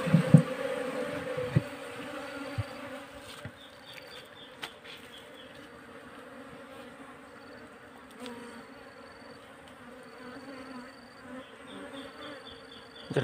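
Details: Wild Asian honey bees during transfer into a cultivation box give a low harmonic hum that is loudest in the first seconds, then settles to a softer drone, with faint intermittent high thin tones and occasional knocks.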